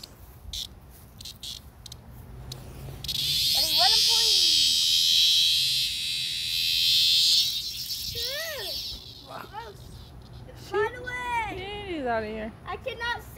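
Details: A screaming Locus Cicada, found, bursts into a harsh, high buzz lasting about four seconds before it cuts off. Human talking and sharp clicks come before and after the buzz.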